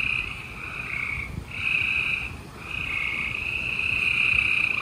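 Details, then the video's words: Gray treefrogs chorusing at night in Houston, Texas, on 28 April 2020; overlapping trilled calls form a steady high buzzing wall, swelling and dipping every second or two. "Gray Tree Frogs Chorus"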